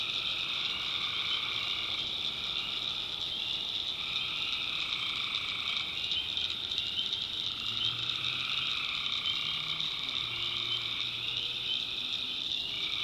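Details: Swamp at night in the North Carolina backwoods, full of calling tree frogs: a continuous high trilling chorus with layered mid-pitched pulsing, while a few deeper, drawn-out croaks surface in the second half.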